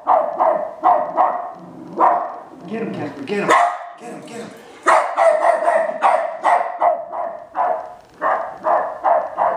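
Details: A Westie barks excitedly at an R2 robot, strings of quick sharp barks, briefly broken by a human voice near the middle.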